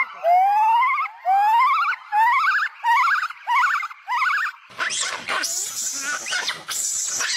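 A monkey gives a string of rising, whine-like calls, then a harsh, noisy burst follows.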